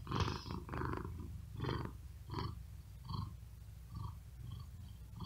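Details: A domestic cat on a wooden desk on a very hot day, unable to sleep and breathing quickly with effort, purring in a low rumble with breathy bursts that swell and fade about seventy-seven times a minute.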